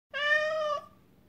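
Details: Male pet cat meowing indoors as soon as dried anchovy comes out of the pouch, wanting the food: a single steady, clear meow of under a second, level in pitch and fading at the end.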